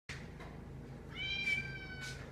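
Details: Domestic cat talking to its humans indoors: a short faint mew, then a loud, drawn-out harmonic meow that holds steady and then fades, with a brief further cry at the end.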